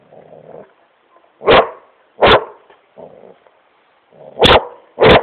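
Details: Great Pyrenees named Smokey, playing and having fun on his couch in his room, gives loud deep barks in pairs, with softer low grumbling sounds between them.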